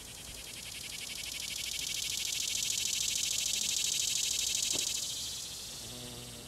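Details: An annual (dog-day) cicada, not a periodical species, filmed up in a tree in late summer, sings a loud, high, rapidly pulsing buzz made by buckling its tymbals hundreds of times a second, swelling and then fading away.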